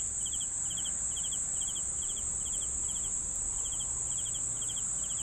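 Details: Crickets for sleep, giving crisp triple-pulsed chirps at a regular, unhurried beat of about two per second, accompanied by an unbroken high-pitched buzzing drone.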